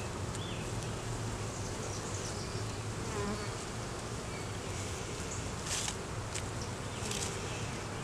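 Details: Honey bees in an opened hive during a beekeeper's inspection, the colony a split was taken from and now holding a laying queen and honey; a dense, steady low hum fills the clip, with faint ticks and light knocks above.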